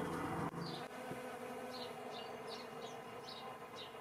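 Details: Bees in spring 2017, a steady low humming buzz of many insects throughout, with faint short chirps above.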